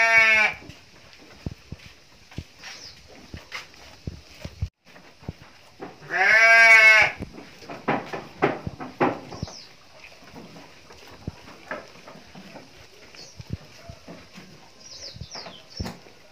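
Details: Female Garut sheep kept in a pen give two loud, quavering bleats, one at the start and one about six seconds in, followed by scattered knocks, rustling and faint distant calls.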